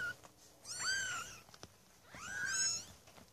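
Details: A Maine Coon kitten from a cattery litter of six born 8 May 2015 gives two thin, high, slightly wavering meows about one and a half seconds apart in a quiet room.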